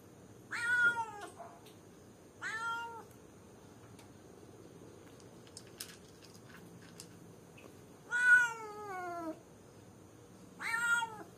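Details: Cat alone in a cage calling someone, giving four loud meows, one long drawn-out cry that bends downward in the middle, with quiet pauses between calls.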